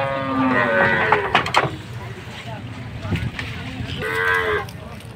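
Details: Cattle being unloaded in Bangladesh ahead of Qurbani Eid: a big cow gives two drawn-out harmonic moos, one near the start and another after four seconds, amid clattering handling noise and background bustle.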